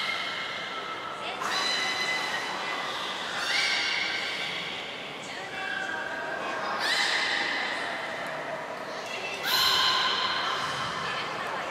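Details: Training session for belugas Gray, Nana and Nico at Port of Nagoya Public Aquarium on 14 October 2019: a series of rich, buzzy harmonic whistles, some rising at the start, recurring every few seconds in a reverberant indoor space.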